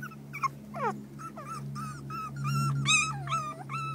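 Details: Four-week-old terrier pups of the Maeve litter squeal in repeated high whining yelps, some sliding down sharply, roughly two or three a second, against a constant low mechanical hum.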